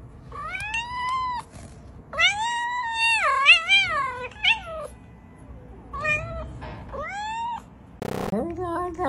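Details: Cute cat giving a run of bending, wavering meows, several short and one longer with a rising-falling shape, over faint background hum, with a brief sharp knock near the end.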